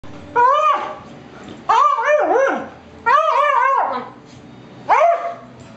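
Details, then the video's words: Two Beagles, one a pushy young male, play roughly at home; loud wavering bark-howls come in four bursts about every one and a half seconds, each rising then bending down. "Bailey & Caleb Beagles Play Again"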